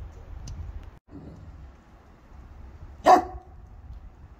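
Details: Three-year-old male Cane Corso, blue brindle, 130 lbs, out on a walk, recorded on a phone: one short loud bark at the three-second mark amid quiet background rumble and faint handling noises.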